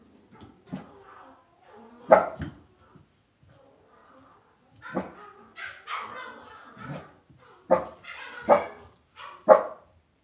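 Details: Cavalier King Charles Spaniel puppies in an indoor home puppy pen. Short, sharp puppy barks and yelps come in irregular bursts with quiet gaps between them, several louder yips near the middle and end, and faint background rustling.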